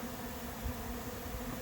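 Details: Late-season honey bee swarm of unknown origin moving into an empty, unprepared hive on July 8th; a steady low droning hum runs throughout, with a soft even hiss above and no clear voices.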